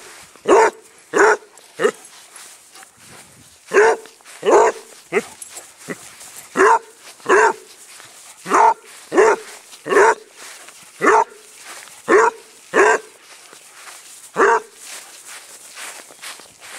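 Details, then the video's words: Playful chase on a small grass patch sets off a long run of barking from Squiggy, a basset hound adopted from a rescue in Phoenix, Arizona; around twenty loud barks in uneven bursts, with a faint voice in places. "being chased on the grass"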